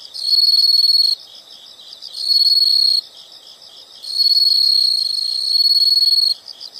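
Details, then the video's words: High, ringing insect trills in separate bursts of about one to two seconds, broken by short pauses filled with quieter rapid chirping. "the sound of insects"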